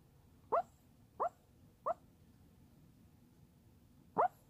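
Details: Sleeping Chihuahua dreaming, giving four short muffled yips, three in quick succession about two-thirds of a second apart, then a pause and a final yip, over faint room hum.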